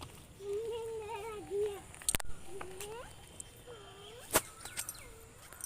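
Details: Goat being caught outdoors in a rural setting, giving a long quavering mid-pitched bleat, then shorter wavering bleats, with sharp clicks and faint voices around.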